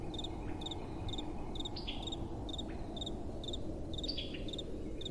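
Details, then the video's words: Nocturnal cricket chorus in gentle wind, with crisp high chirps repeated about twice a second and a couple of falling, slurred chirps from another caller, all above a steady low wind hiss. "Relaxing Night Time Sounds | Crickets & Soft Wind"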